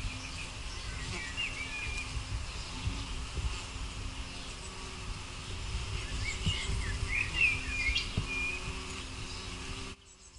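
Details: A white-tailed bumblebee (Bombus lucorum) at its nest gives a low, steady droning wing hum, with bright bird chirps in the background; recorded 5 June 2016.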